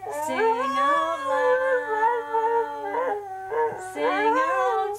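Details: ['Merlin, a pet Australian Shepherd x Border Collie cross, howls in a duet with its owner. Long, wavering, tuneful howls run for about three seconds over a steady low human note. Shorter howls follow after a brief break.']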